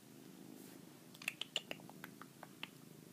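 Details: Pet cat purring indoors in January 2013, three days before he died: a low, soft rumble under a scatter of sharp clicks and small knocks, likely from movement close to the cat.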